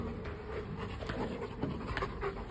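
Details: A Rottweiler, playful pet dog hunting for its ball indoors, pants in rapid soft breaths, rhythmic and breathy, over a low background hum.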